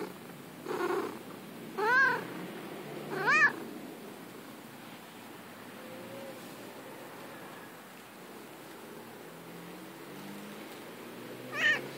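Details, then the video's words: Female domestic cat at play in the grass gives three rising-falling meows within the first four seconds, then a long quiet stretch and one final meow near the end, over a steady low background hiss. "Cat Neko makes cute noises"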